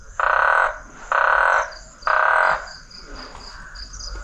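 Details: A frog in a chorus at night in hot, very humid Guinea-Bissau gives three loud, rasping half-second croaks about a second apart, then quieter calls follow. The frogs went quiet when the door opened.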